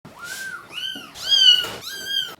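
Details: Crying of a mother cat's three young kittens, two weeks in care, calling when they see their keeper and expect wet food before deworming indoors; four high, arched, harmonic-rich meows follow one another closely, each under half a second.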